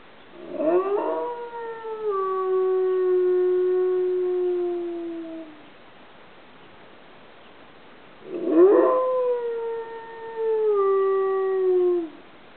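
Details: Dog howling at midday, triggered by sirens and a train; two drawn-out howls several seconds apart, each starting with a quick upward swoop, then sliding gently downward and trailing off, with a quiet pause between them.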